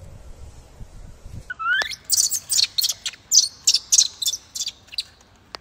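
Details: Wild baby macaque, bullied by its mother, crying loudly: after a brief rising whine comes a rapid run of about a dozen harsh, high, noisy screams in quick bursts, with a faint low rumble beneath.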